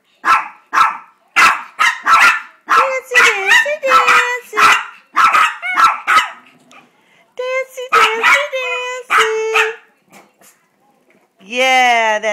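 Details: Two pet Chihuahuas singing to beg for a treat; rapid runs of sharp yips, about two per second, mixed with thin wavering howl-like tones, ending with a woman's high coaxing voice.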